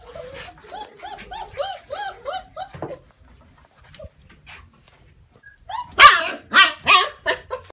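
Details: A German Shepherd puppy gives a run of short, wavering whimpers that pause briefly and then return as louder, sharp yelping barks.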